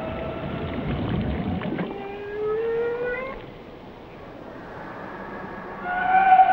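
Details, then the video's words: Whale song with long, level tonal moans in several harmonics and a slowly rising whistle, then a quieter gap before bright, high tonal calls return near the end, all over rumbling underwater noise. "Song of the Whales"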